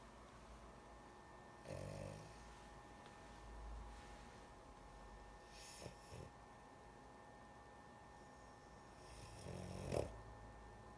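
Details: Sleepy female dog snoring indoors: a short rasping snore near the start, faint breathing noise, then a louder gritty snore near the end, over a steady electrical hum.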